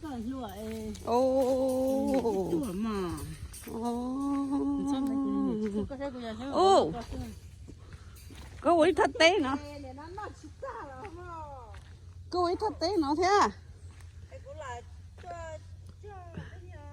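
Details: Black Angus cattle in Oklahoma giving long, steady, droning moos, two held for about two seconds each, followed by shorter calls mixed with human voices and a low background rumble.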